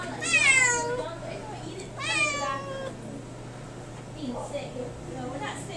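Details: Cali, a domestic shorthair cat up for adoption, meows twice indoors: a long, bright, wavering meow, then a shorter one about two seconds later, while a person talks softly to her.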